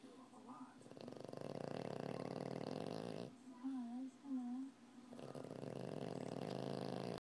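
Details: Sleeping male French Bulldog snoring steadily with a rough, buzzy rattle, broken midway by a brief pause with a couple of wavering whine-like tones before the snoring resumes.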